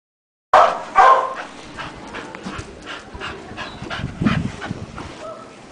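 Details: Nine-year-old brindle female Staffordshire Bull Terrier, a rescue dog taken in from the pound and available for adoption, gives two loud, rough barks close together near the start, followed by quieter scattered yips and soft sounds.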